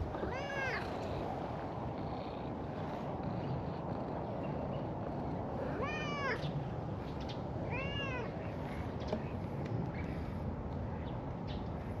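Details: Stray cats, a cream cat and an orange tabby, out together in a park on a warm spring day in Japan; three separate arched meows rise and fall, at about half a second, six and eight seconds, over steady broadband outdoor noise.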